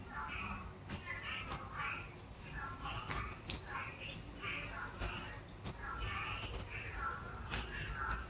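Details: Unidentified frog giving short, repeated mid-pitched calls in irregular clusters, with sharp clicks scattered throughout and a steady low rumbling background.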